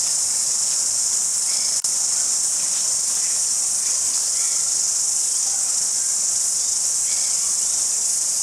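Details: Chirping crickets at Jelly Park in Christchurch, New Zealand, February 2010, form a dense high-pitched trill that never pauses, with a sharp click early on and a few faint short chirps from other small creatures.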